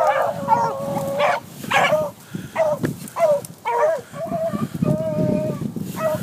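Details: Young hunting dogs after a cottontail, a long drawn bawl followed by a string of short choppy barks and a held howl, with rustling underneath.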